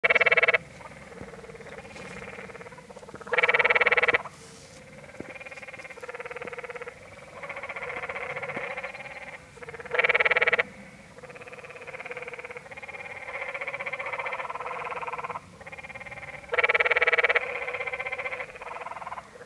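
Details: Canyon tree frogs at Many Pools Trail, Zion National Park, Utah: several overlapping harsh, pulsed rattling trills about a second long, four loud nearby calls standing out over a near-continuous chorus of fainter callers.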